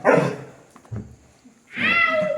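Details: Labrador Retriever giving a sharp, loud bark, then quieter low sounds, ending in a long drawn-out harmonic whine or yelp.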